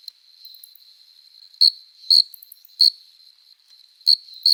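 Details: Summer-night cricket chorus, a male stridulating for courtship: a soft steady trill at first, then five sharp chirps in the second half.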